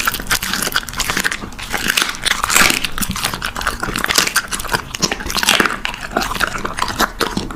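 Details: Puppy eating, with crisp crunching and clicking bites in rapid, uneven bursts, wet chewing between them, recorded close up indoors.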